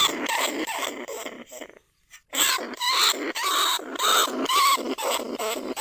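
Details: Caged lesser bandicoot rat in a rat trap in a rice paddy at Na Lao, Nong Khu Phai, calling other rats. Harsh, noisy squeals pulse rapidly, break off into a short silence, then resume louder with thin whining overtones.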